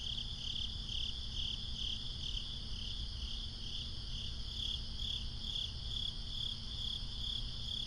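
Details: At night in a swamp, crickets trill in a shrill, even chorus that beats roughly twice per second, over a constant deep rumble of distant noise.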